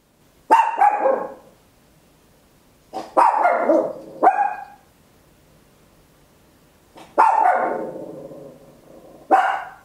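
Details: Small Papillon barking very loud at home, recorded in stereo with an Olympus LS-11: clusters of harsh, high barks, one, then a pair, then another pair, separated by silent gaps of a few seconds.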